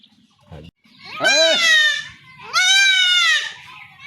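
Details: Young goat kid being castrated at home in a Bangladeshi village, bleating twice in long, strained, wavering cries about a second each, with a low thud and faint background noise between.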